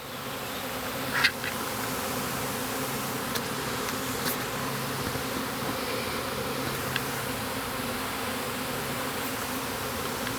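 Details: Honey bee swarm that had landed about 25 feet up in a ginkgo tree in a yard, after the branch was cut and dropped: a steady, dense low hum throughout, with a few brief clicks and knocks.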